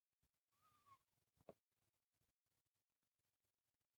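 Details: Female pet cat making a soft, unusual sound while being coaxed to sleep: one quiet tonal call that holds steady and then dips slightly, followed by a sharp click, in a hushed indoor room.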